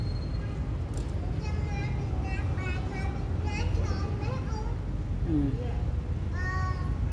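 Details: Kitten giving a series of high, thin meows, several short rising-and-falling cries close together, then a lower drawn-out descending one, over steady low rumbling background noise and faint voices.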